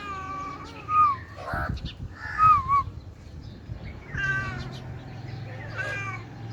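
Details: Friendly domestic cat, hungry and yawning while lying on the ground, utters several drawn-out meows that bend downward at the end, spaced one to two seconds apart, with soft rustling and low hum between calls.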